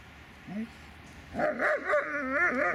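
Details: A Dobermann dog gives a short rising whimper, then after a pause a run of tonal, wavering whines and yelps, rising and falling over about one and a half seconds, with no other clear sounds.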